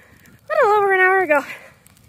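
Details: German Shepherd named Libby, a female, out in about two feet of fresh snow for the first time on a path that was already covered over. She gives a single tonal whine lasting almost a second, dipping then holding steady before falling away, over faint crunching.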